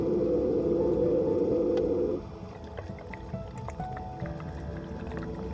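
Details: A male Hawaiian monk seal vocalizes underwater in front of a diver, a low, rough moan of about two seconds made by moving air from lungs to throat then exhaling bubbles, a call thought to be for mating.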